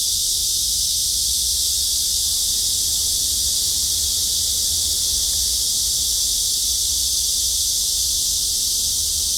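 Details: Cicadas calling loudly on a Wednesday at the maze garden of Hanbat Library: one unbroken, shrill, high hissing drone holds steady from start to finish, with a faint low rumble beneath.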